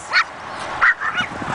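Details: Brussels griffon playing while travelling gives two short, high yips about half a second apart, then fainter whimpering, with a woman speaking nearby.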